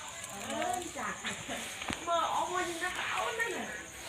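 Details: Squealing puppies quarrel and play at night: several curved, nasal whines rise and fall in quick succession over a few seconds, with a high background hiss.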